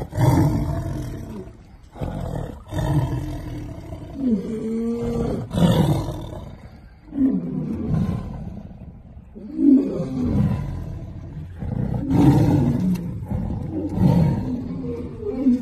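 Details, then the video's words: Tiger protecting its ball against a lion, roaring and growling: deep harmonic roars rising and falling in repeated bursts, with snarling between them. "Tiger vs Lion - Tiger protects it's ball"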